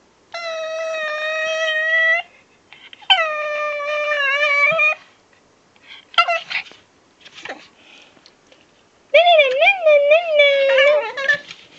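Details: Pekingese (Canis familiaris), whining howls.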